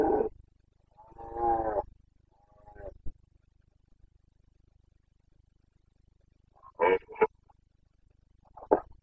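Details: Rutting Carpathian red deer stag, Bucovina, Romania, breeding season 2022. Two throaty roars open the recording, then a quiet gap, then brief sharp grunting bursts near the end.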